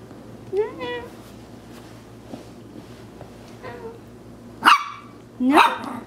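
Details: A Maltese puppy playing in Plainfield/Naperville, Illinois, in April 2014, gives two rising, tonal yips followed by two sharp, noisy barks near the end, while a woman scolds it with repeated "no" in between.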